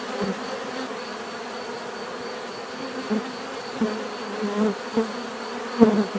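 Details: Natural buzzing of bees, a continuous low droning hum with several louder close fly-by buzzes swelling near the end, and a thin steady high tone in the background.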